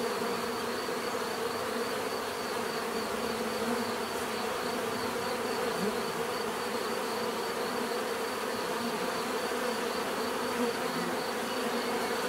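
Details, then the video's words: Continuous natural bee buzzing: a thick, unbroken hum from many insects with layered tonal bands and a thin steady high tone, level and unchanging over twelve seconds, no other sounds standing out. "bees therapy relaxing natural buzzing sound"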